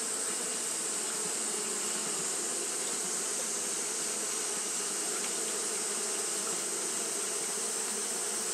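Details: Steady fanning buzz from Japanese honey bees on a hot day, a thick continuous drone with low humming bands and a constant high, hissing wash.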